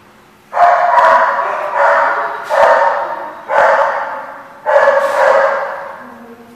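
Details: Dog dated 12/12/14 giving five long, loud, tonal barks in a steady series about one per second, each with a sharp onset and a trailing fade, over faint background hum.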